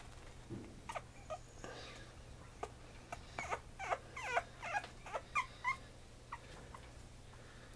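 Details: Female black-and-white Pomeranian puppy, 56 days old, indoors in Mie, Japan, gives a run of short, high, squeaky whimpers, some rising and falling, in uneven bursts over faint room noise and a low hum.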